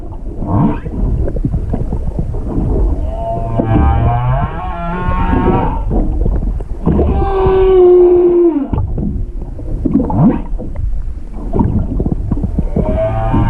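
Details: Wild humpback whale singing off Hakohama, east of Chichijima, recorded underwater with an action camera on 21 February 2021 after a slow-moving boat stopped; moaning tonal units, a long flat upper tone near 7–9 seconds, low rumbles and grunts throughout.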